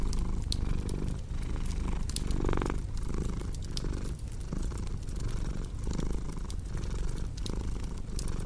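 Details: Low rumbling purr from a cat, rhythmic breath-by-breath pulses, mixed with frequent crackling fireplace pops and a brief brighter crackle burst near the middle.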